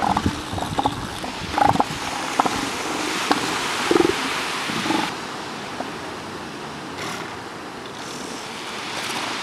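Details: Northern elephant seals giving a few short, hoarse, harmonic calls in the first five seconds, spaced unevenly, then only the broad hiss of surf and wind for the rest.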